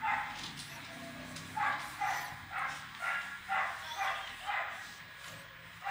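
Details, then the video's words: Pandora, a female Siberian Husky puppy, playing; high yipping barks repeated roughly every half second in short bursts, fairly quiet, with faint background noise. "Filhote Husky brincando"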